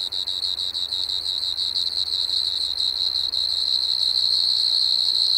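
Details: Pteronemobius lineolatus at Maggia, Switzerland, 1 September 2023, producing quick pulsed chirps that merge into a sustained high buzzing trill, with faint low hum in the background.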